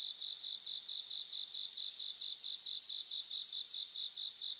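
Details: Bell crickets singing together in grassland in Japan, bright high-pitched ringing rising in three successive swells, then stopping abruptly, with a constant rapid insect pulsing beneath.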